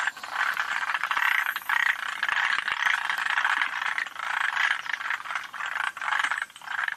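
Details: Chorus of Forest green tree frogs at Yoshitani, Japan, in June 2025: many rapid rattling croaks layered into a steady throbbing din, with loud bursts recurring roughly every half second.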